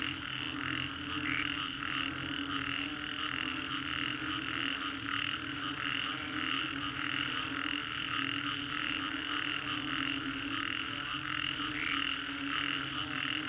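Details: Post-storm frog chorus in Singapore's Green Corridor: a thick wall of repeated croaks with regular beats, some brighter notes standing out, and a faint low drone throughout.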